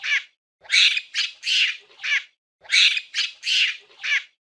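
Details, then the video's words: Loud, grating monkey screeches in a steady pattern of four-part phrases separated by short gaps, recurring about every two seconds; nothing else audible. "Monkey Sound Effect"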